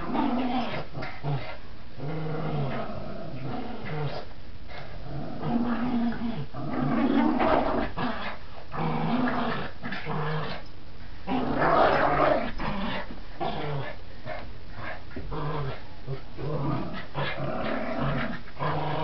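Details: Border Terrier growling while playing tug, long rough low growls in surges that peak around the middle and again later, separated by short pauses, with faint scuffling of the toy.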